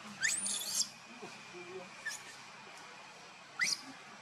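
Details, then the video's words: Baby monkey Luno calling his father Tum to come pick him up: high, thin squeals rising and arching sharply, a rapid cluster at the start and another lone squeal near the end, over soft background hiss. "baby monkey Luno trying call father Tum to pick him up"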